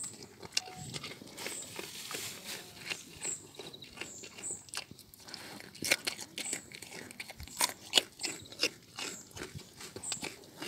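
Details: A young male roe deer in a park eats crunchy carrots. Sharp, dry crunching and biting sounds come in quick irregular bursts, with soft clicks between them and faint background hiss.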